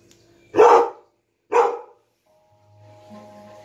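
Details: Labrador retriever at home reacting to a dog on television, letting out two loud, gruff barks about a second apart, followed by faint music.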